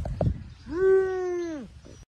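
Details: A puppy being cared for at home lets out a single long nasal whine that rises quickly, holds steady for about a second, then drops away. Soft thumps come just before it.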